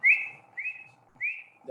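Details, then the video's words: Forest frog of a species endemic to the Philippines except Palawan, a call heard in the forest in the evening, played back: three short, clear whistled notes, each gliding slightly, spaced about half a second apart over a faint steady hum. "that's the call of a frog"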